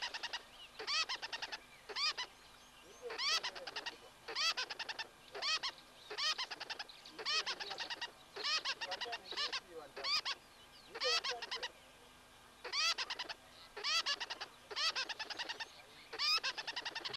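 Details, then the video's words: Alarm chatter of a tree squirrel at a wildlife camera in the Associated Private Nature Reserves bordering Kruger National Park, South Africa: steady rhythmic bursts of harsh, high, clicking chirps roughly every second, over low background hum. "Alarming, chattering Tree Squirrel"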